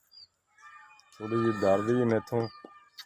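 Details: Nili-Ravi buffalo in Pakistan, shown for sale; one long, low, droning moo that wavers slightly in pitch, then a short second bellow, with a bird whistle and a faint voice in the background.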